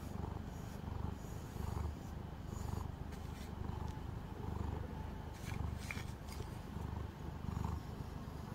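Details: Calico cat at home, groomed with a brush, giving a low continuous purr pulsing about once a second, with short rustling bursts midway.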